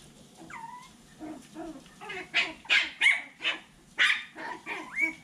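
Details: Seven-week-old Poodle puppies from Lizzy's litter, recorded 22 January 2024: a rising-falling whine opens, then a quick irregular run of sharp high yips, several per second, over a low steady background hum.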